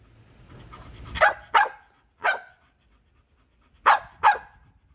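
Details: Ozzy, a Bull Terrier, protesting with sharp barks: a close pair, a single bark, a pause, then another quick pair, each bark short and bright, over a low rumble at the start.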